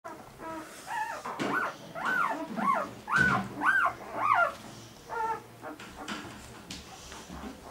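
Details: Irish Setter puppies recorded 16 April 2011, giving a run of about six high, arched whining yelps that rise and fall in quick succession mid-clip, with softer whimpers before and after over a quiet indoor background.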